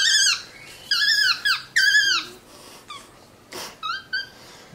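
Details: Lounging on a leather couch indoors, a pet capuchin monkey utters bursts of shrill, arching squeaks, four loud ones close together followed by softer, shorter chirps, with a brief rustle between them.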